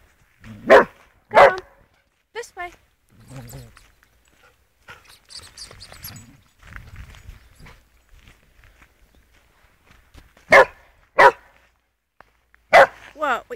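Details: Playful border collie playing fetch outdoors near a river, giving sharp barks in pairs at the start and again near the end, separated by a quieter stretch with a woman calling encouragement in between.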